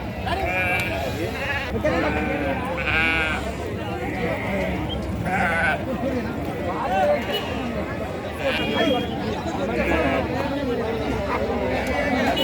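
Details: Sheep bleat at the Saturday sheep and goat market in Chillakallu village, Jaggayyapeta mandal, NTR district. High, wavering bleats repeat every second or two over constant crowd chatter and bargaining voices.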